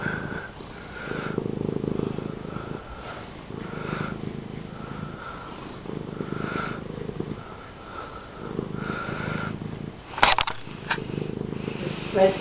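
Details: Loud purr from a friendly house cat getting attention: rhythmic low rumbling that swells with each breath about every two seconds, a brief sharp clatter near the end, quiet human voices.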